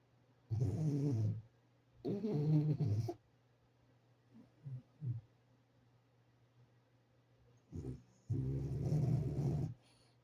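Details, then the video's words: A sleeping French Bulldog snores in uneven bursts: two rumbling, gravelly inhalations close together, a few soft snuffles during a pause, then a short grunt and one longer raspy snore. "Как храпит французский бульдог"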